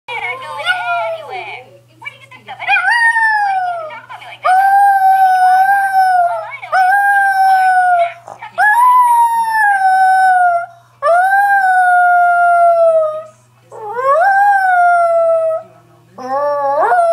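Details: Female Chihuahua singing along each time she hears an audible greeting card: a series of drawn-out, tonal howls, several seconds each, sliding up then holding and dipping, with short pauses between; a faint steady hum underneath.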